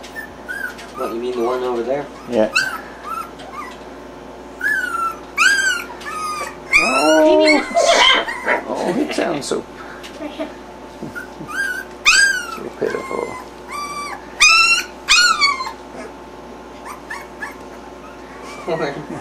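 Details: Several three-week-old puppies, starting to move around and woken by their mother, make a stream of high, quavering whines and yelps in irregular bursts, some rising then falling, with quiet human speech and a faint steady hum.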